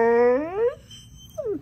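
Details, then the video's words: Female pet dog vocalizing what her owner hears as the word "marijuana": a drawn-out harmonic whine sliding upward over about 0.7 seconds, a short pause, then a brief falling yelp at the end. "Talking Dog said marijuana"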